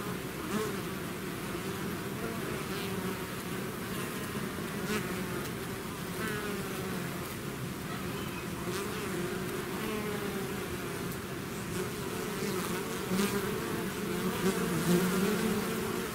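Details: Bees swarming from a hive fill the air with a continuous droning hum, a few individuals whirring closer and fading, the mass of wingbeats swelling slightly near the end.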